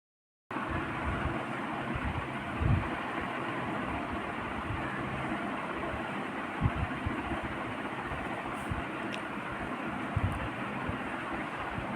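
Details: Steady rumbling vehicle or train noise with a few low thumps and faint high ticks, and no animal calls.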